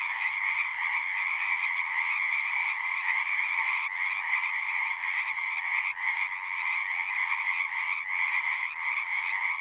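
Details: A loud, steady frog chorus in which many callers overlap into a shimmering, buzzy drone with high and low layers, flickering with tiny rhythmic gaps. No other sounds can be picked out.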